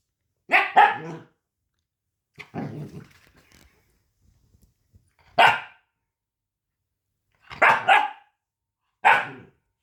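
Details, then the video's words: Puppy barking in a piercing, high-pitched voice: a double yap, then a softer rougher bark, followed by quick sharp barks at irregular gaps over ten seconds. "Bruit de chiot qui aboie"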